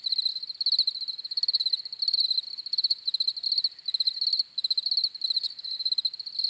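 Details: Several crickets chirping steadily, a dense layer of high, pulsed trills overlapping in rapid repeated bursts with brief gaps, no other sounds standing out.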